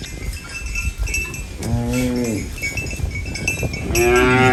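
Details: Farm cow eating banana leaves gives a short, deep moo lasting under a second, then begins another louder low moo near the end, over steady rustling and chewing noise.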